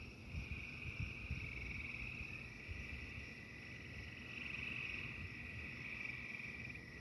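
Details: Frog chorus sung during a thunderstorm, a continuous high shimmering trill that rises slightly in strength midway, over constant low rumbling and crackling noise from the storm.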